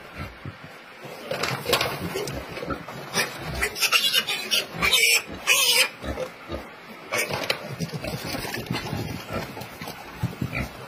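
Piglets give sharp, high squeals and rough grunts in uneven bursts, with a person's voice mixed in.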